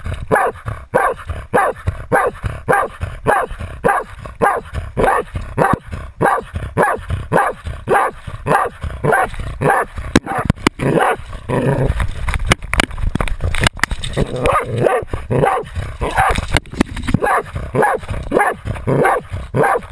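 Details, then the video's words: Jagdterrier baying a 250 lb boar during a hunt, recorded with a GoPro camera: loud, sharp barks repeated steadily almost twice a second throughout, with a few clicks and rustling thuds around the middle. "Insane jagdterrier Otto baying a 250 lb boar"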